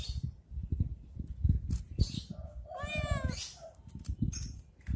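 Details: Playing with a stick, a cat lets out a single drawn-out meow over steady low rumbling and knocking noise.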